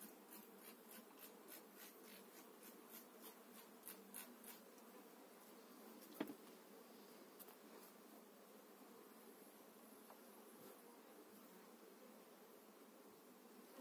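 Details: Honey bees during a spring 2018 hive transfer, eight frames of bees moved into a new beekeeper's hive: a low, steady droning hum continues throughout, with light clicks and knocks from handling the frames.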